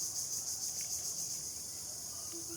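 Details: At sunset on an afternoon among trees, a cricket trills steadily, a high, thin, shimmering tone with a fast pulsing beat.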